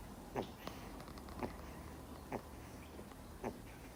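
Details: Two-month-old Miniature Schnauzer puppy snoring while fast asleep: four short, soft, breathy rasps about one second apart over a quiet indoor background.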